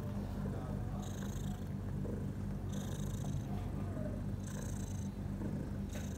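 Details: Purring from a house cat nursing her four newborn kittens six hours after an evening birth; continuous deep vibrating rumble with breathy high-pitched whooshes returning about every one and a half seconds.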